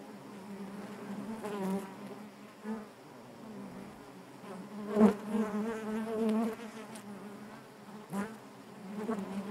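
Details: Honey bees buzzing inside their hive, a dense steady hum centred low with stacked harmonic bands, swelling and fading in waves, with a louder surge around the middle and brief sharp ticks.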